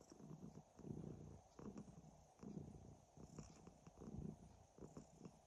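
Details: Hryhorii, a domestic cat, purring and snoring: low rumbling pulses in soft rhythmic swells, one roughly every 0.8 seconds, with faint higher clicks above.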